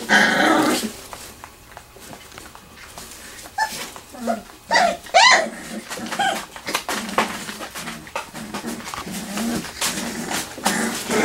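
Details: Three-week-old Wirehaired Pointing Griffon puppies playing together in a garage whelping box: squeaky high yips and rising squeals cluster midway, with short barks and low play growls amid steady scuffling and bumping.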